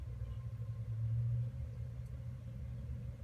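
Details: A low, steady rumble like a distant engine fills the background, with a faint click at the end and no animal sound.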